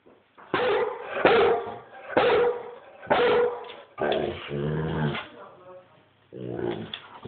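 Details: Rhodesian Ridgeback barking loudly, recorded on a phone: four deep, booming barks roughly a second apart, then a longer drawn-out bark with a moaning tone, a pause, and a final shorter bark.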